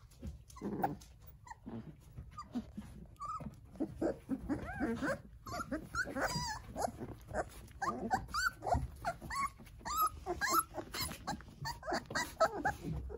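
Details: Jindo litter of nine puppies playing with their mother Sarang-i indoors; faint intermittent squeaks and whimpers over constant rustling, scratching and movement noise.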